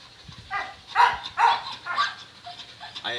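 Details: Kato, a male Thai Ridgeback aged four and a half, living almost two years in a shelter, meets a stranger for the first time: a run of short, gruff barks spaced about half a second apart, with faint background noise.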